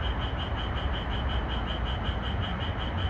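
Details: Japanese tree frog calling in a red pepper field under moonlight at night, in an edited recording: a steady train of quick, bright, pulsed notes, about five each second, over constant low background hiss and rumble.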